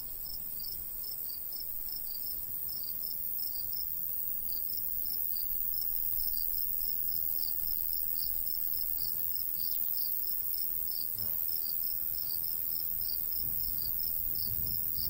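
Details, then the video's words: Crickets in the summer countryside near a golden wheat field, uneven high chirps in bursts and runs, light breeze in the background. "cricket sounds"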